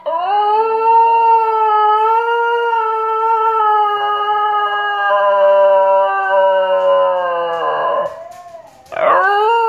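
A Basenji sings a long, sustained, wavering howl rich in harmonics, ending in a rough yodel.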